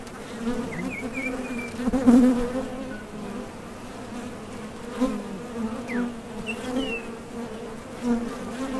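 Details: Dense low buzzing from honey bees landing at and departing a Top Bar Hive entrance in search of nectar. A louder close pass comes near the two-second mark, and a few faint bird chirps are heard.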